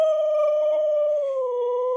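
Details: Siberian Husky named Meeka, a female, gives a steady, drawn-out, mid-pitched howl. Her tone sags slightly near the end while she is being taught to dance and is arguing back. Speech comes just before and after.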